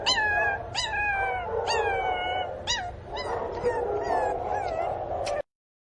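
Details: Loud, sad crying from Pinscher puppy Teco, who misses its mother: five or six high, falling whines about a second apart, then fainter broken whimpers before the sound stops abruptly.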